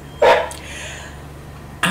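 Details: One short, deep bark from a large dog early on, then a quiet stretch with faint rustling and another sharp noise starting at the close.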